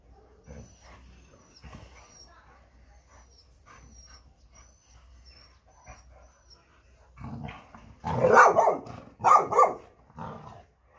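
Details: American Staffordshire Terrier: several quiet seconds with faint thin high chirps and soft noises, then a run of loud, harsh barks in quick bursts near the end.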